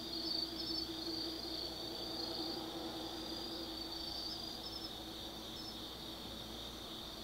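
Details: Autumn night insects calling at the Tsukimi no Mori lookout in Gifu Prefecture, Japan: a dense, even high-pitched trill, brief sparkling chirps near the start and middle, and a quiet steady hum underneath.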